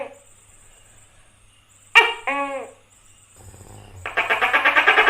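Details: A tokay gecko (Gekko gecko) gives a loud, hoarse bark, then starts a rapid, buzzy run of clicking pulses.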